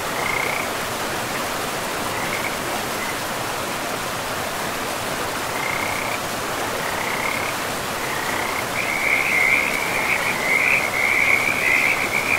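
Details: A frog chorus calls beside a river in pristine forest. Scattered high trills open the passage, then build into a dense, continuous rattling run near the end, over the constant hiss of flowing water.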